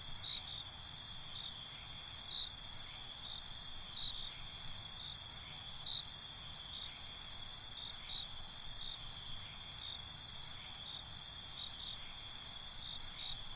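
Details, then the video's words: Night cricket chorus: several high, shimmering bands of continuous trilling, broken by three bursts of quick, evenly spaced chirps that rise and fade, with a faint low rumble underneath. "Night ambience, Cricket Conversations"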